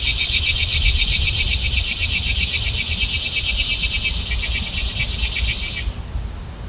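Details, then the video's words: A steady, shrill chorus of cicadas in the trees pulses rapidly at high pitch for about six seconds, then cuts off abruptly, over a low rumble, with mourning doves nearby. "Loud Cicada Sounds Coming From The Trees!"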